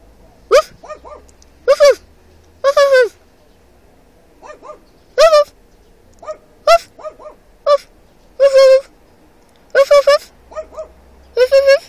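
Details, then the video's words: A dog in a nearby car answers each imitated bark: clusters of loud, ringing barks, often a strong bark followed by two or three softer short ones, repeated every second or so, over a faint low rumble of traffic. "Mimmicing a dog"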